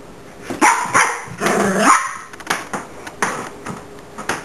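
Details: Miniature Pinscher upset at being filmed, giving a few short yappy barks and a rising whiny vocalisation, with clicking and handling noise in the background.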